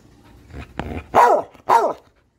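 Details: A Catahoula dog known for talking makes soft grumbling sounds, then two sharp, loud barks in quick succession. Both are arched and slightly whiny, and the clip ends in silence.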